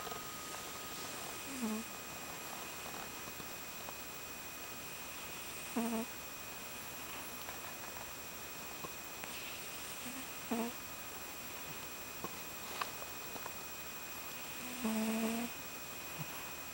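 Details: Domestic cat snoring while sleeping comfortably indoors, with soft, short nasal snores every four to five seconds over a steady background hiss.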